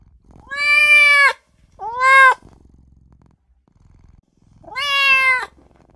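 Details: Little newborn kitten wailing for its mother and owner, three clear meows: a long steady one, a short sharply rising one, then after a quiet pause another long falling cry.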